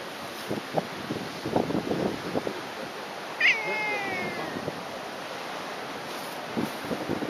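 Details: Cat on Jogashima island, where a brown cat was angry at a black cat, gives a single drawn-out falling meow with clear harmonics, amid footsteps or rustling and faint surf-like background noise.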